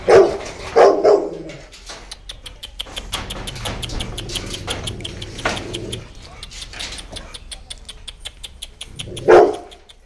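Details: A Rottweiler, described as heavy, big-headed and fully aggressive, at a dog market in Ranchi, lets out a quick burst of deep, heavy barks, falls quiet amid faint clatter and murmuring, then gives a single bark near the end.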